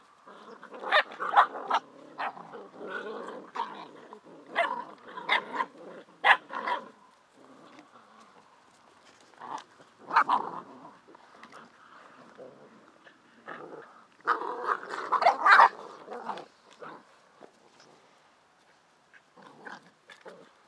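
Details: Bicolour poodles on a dog show podium barking as they sort out who leads the group: bursts of sharp, overlapping yaps and barks from several dogs, with quieter pauses between flurries.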